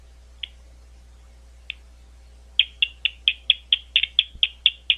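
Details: Gwynne Conservation Area, London, Ohio: two lone clicks from a bat, then a regular train of sharp ticks roughly twice a second over the last half, with a low constant hum beneath.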